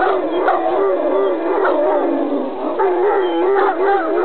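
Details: Greeting howls from an Irish Wolfhound, a continuous, wobbling mid-pitched moan with uneven rises and short brighter yelping bursts near the start and the end.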